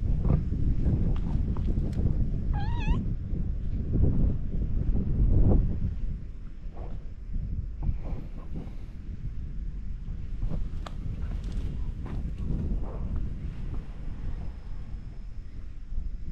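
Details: Domestic cats lounge in a back alley as someone approaches, and a ginger tabby nibbles at the hand. One short, wavering, rising-falling meow comes early, surrounded by rustling, handling noises and a steady low background rumble.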